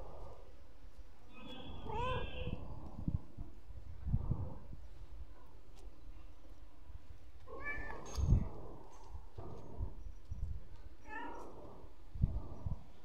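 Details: Black stray street cat in a corner, giving several meows around 2, 8 and 11 seconds, each a rising then falling tonal cry with clear harmonics, over constant low rumbling street noise.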